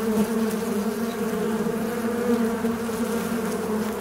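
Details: A fly's constant, steady buzzing: a low humming drone holding one pitch, with slight wavering in loudness and nothing else heard.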